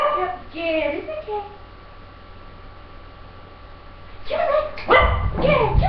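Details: Five-year-old female English Cocker Spaniel, over-excited during jump training and barking and jumping at her trainer. A man's encouraging voice comes first, then after a quiet pause a short burst of loud, sharp barks.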